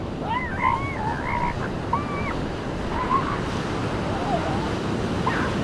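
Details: Seal pups on a beach calling amid breaking waves: several wavering, wailing tonal cries rise and fall, some overlapping, over a steady roar of surf throughout.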